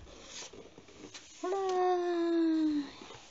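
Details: Konatsu, a kitten kept indoors at home, gives one drawn-out harmonic meow lasting over a second that slides gently downward in pitch, after a few soft thumps and rustles in a small room.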